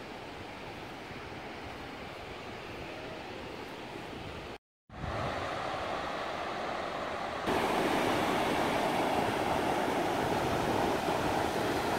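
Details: Steady broadband rush of surf and wind with no animal voice, broken by a brief silent dropout near the five-second mark and growing louder after seven and a half seconds.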